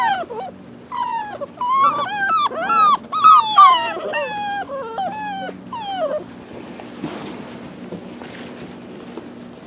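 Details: A litter of rescue pups, possibly shar pei, hound and lab mix, cries in quick, wavering, descending whimpers about three per second. The cries fade after six seconds, leaving soft rustling and a low hum.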